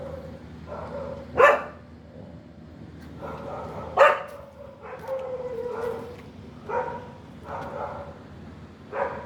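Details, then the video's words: A dog gives scattered, fairly quiet yelping barks and short whines spaced a second or two apart. Two sharper, louder yelps stand out against a steady low background hum. "DOGS Natural sounds natural dog sound"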